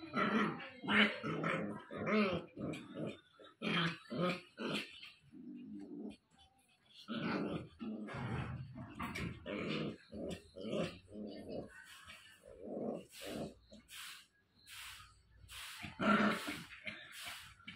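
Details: Angry 60-day-old Japanese Spitz puppy, growling and yipping in quick bursts, rough short sounds that come again and again over the whole stretch, with a brief quiet gap partway through.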